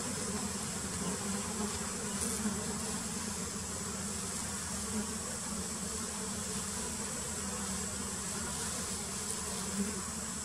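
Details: Many wild giant honey bees (Apis dorsata) buzz continuously as the colony is painted, a thick low drone that swells slightly at moments, with a thin steady high-pitched whine in the background.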